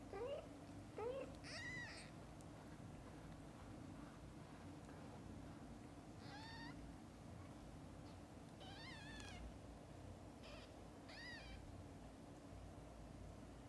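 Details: Domestic mother cat caring for her young kittens, from birth to eye-opening; a run of high, harmonic-rich mews bunched together early on, then single drawn-out, slightly bending mews every couple of seconds over a low indoor hum.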